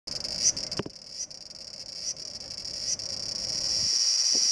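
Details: Large brown cicada clinging to a home's window screen on 2 August 2012 produces a steady, high sizzling buzz, unbroken throughout, with slight surges about once a second and a brief low thump near the start.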